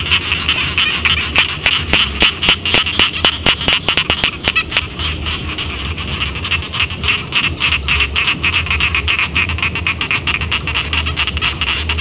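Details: Rice-paddy frogs by a village croaking in a busy chorus: loud, rapid clicking pulses in the first seconds, then a denser, softer rattling run over a steady high buzz and low rumble.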